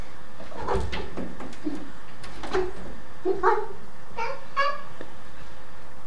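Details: Tom, a black and white male Domestic Shorthair cat, indoors during the zoomies, racing around the house; several short chirping calls come in a loose series after soft thuds, with room hum behind.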